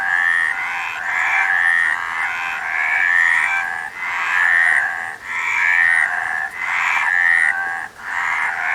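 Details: Frogs croaking in a loud, regular chorus, pulsed bursts roughly every second with clear upward-sliding whistled notes repeating inside them, pausing briefly a few times.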